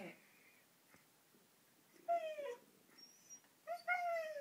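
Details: An excited 15-month-old Siberian Husky talks in drawn-out, yodelling whines that slide downward, in two short bursts, wanting to go for a walk.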